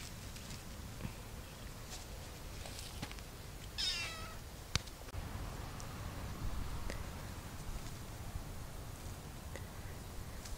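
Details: Cat among many living in an olive garden in summer gives a single wavering, drawn-out meow with a stepped, harmonic-rich tone near the four-second mark, set against soft rustling and low outdoor background noise.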